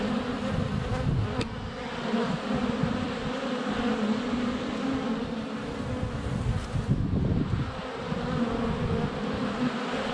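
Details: Many honey bees flying around a hive entrance, filmed less than a foot away with a GoPro on a sunny February day; thick continuous hum with deeper rumbling swells and brief ticks from bees touching the camera.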